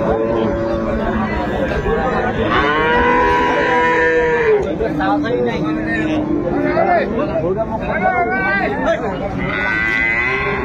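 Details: Lowing dairy cattle at the Ambari haat market in Dinajpur on 10 February 2025, where improved-breed cows and calves are traded: sustained, bending moos repeated through the clip, with buyers' chatter and crowd noise behind.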